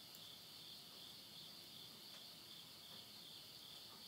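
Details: Midnight insect voices at the end of summer in rural Tottori, Japan, September 2020: a dense, high, continuous buzzing trill with a soft rapid pulse, steady in loudness, over a low murmur of flames in a wood stove.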